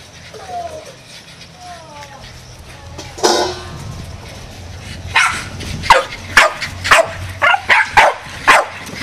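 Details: Feral Jack Russell terriers attacking as a pack, a few faint whines and a voice early on, then a rapid run of sharp, loud barks about every half second toward the end.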